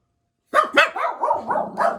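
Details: Jack Russell Terriers from a household of four, indoors and waiting for their owner to come home, break out after a short silence into a quick run of sharp, excited barks and yelps. About six burst together within a second and a half.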